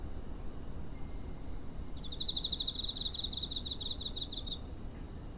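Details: Cricket chirping near a home on 7 September 2023, captured with a TASCAM DR-05: a run of rapid, high, pulsed trills lasting about two and a half seconds over a low, steady rumble of background noise.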